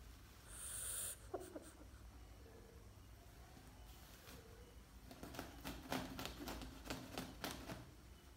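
A frog gives one brief, shrill, high-pitched scream, followed by soft clicks and handling noises.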